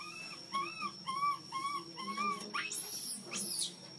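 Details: Baby monkey, hungry and crying loudly to ask for milk, gives a row of clear arched whimpering notes about twice a second, then breaks into two shrill, rising screams.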